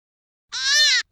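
A hare gives a single half-second squealing cry, nasal and rich in overtones, rising slightly then falling.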